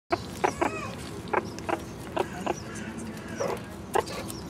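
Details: Three one-year-old captive meerkats foraging for bugs, beetles and hidden mealworm treats in an overgrown enclosure; short clucking calls come in quick, irregular bursts, about nine over four seconds, over a steady low background hum.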